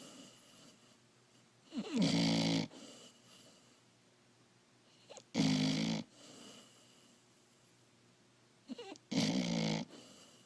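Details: Sleeping new puppy snoring: three rasping, breathy snores about every three and a half seconds, each with a low voiced hum beneath a broad hiss, separated by quiet breathing.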